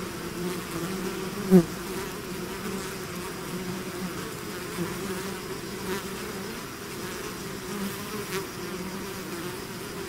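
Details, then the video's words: Natural buzzing of a bee swarm leaving the hive, a deep even drone with one loud close fly-by early on and a few softer passes later. "bees therapy swarm natural buzzing sound"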